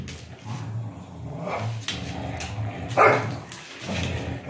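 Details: Dogs, an English Bulldog and a Beagle, playing tug of war: low rumbling growls in repeated bursts, with a sharper bark-like burst near the three-second mark.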